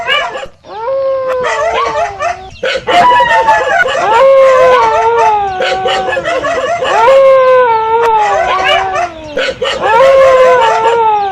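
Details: Howling dog repeating mournful wails about every two to three seconds, each rising slightly then sliding down, with scattered sharp barks and yips from other dogs in the background.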